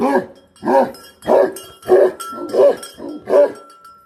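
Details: Tibetan Mastiff; guarding bark; guarding livestock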